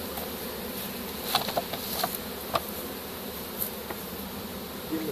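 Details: Honey bee swarm being captured with a pole bucket on 3-25-2015: a dense, steady low buzz with a layered hum, broken by scattered sharp clicks and taps, likely from the bucket.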